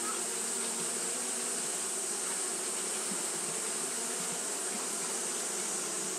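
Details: Fanning Japanese honey bees on a hot day make an even, sustained buzz, layered low hum bands under a bright airy hiss, with faint flickers of individual wingbeats and no pauses.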